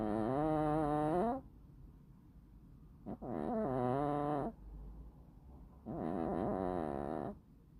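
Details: Sleeping black-and-white bicolor cat snoring: three drawn-out, buzzy, harmonic breaths with a wavering pitch, each about one to one and a half seconds long, separated by quiet pauses.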